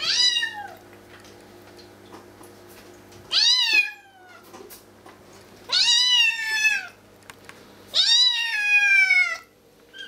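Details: A tiny, hungry female Bengal kitten gives four loud, drawn-out meows, each sliding downward, two to three seconds apart, calling for raw chicken, over a low indoor hum.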